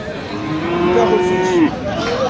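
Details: Friesian bull calf at Aftabganj cattle market in Dinajpur, Bangladesh, on 13 December 2025, giving a drawn-out, steady low moo lasting over a second, with a faint rise then a drop at the end, over market chatter and background noise.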